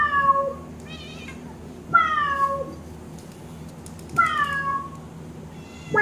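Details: Pet cat answering a synthesized cat sound: loud drawn-out meows that start high and slide downward, rich in overtones, three main calls about two seconds apart plus one beginning at the end, in a quiet indoor room.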